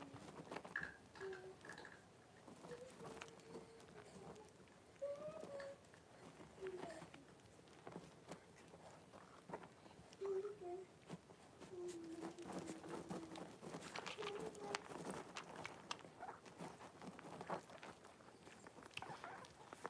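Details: A litter of five blenheim Cavalier King Charles Spaniel puppies, born on New Year's, with their mother Paris in a home puppy pen on 26 January 2023. Scattered short, thin whines and squeaks sound over steady rustling and tapping.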